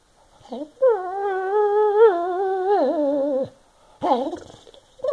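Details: Senior Boston Terrier/Bassett Hound mix Barney Bailey, in North Carolina, grumbling at home about a wastebasket in his path: short yips, then a long, droning, slightly wavering moan that dips at the end, followed by more brief complaining yelps.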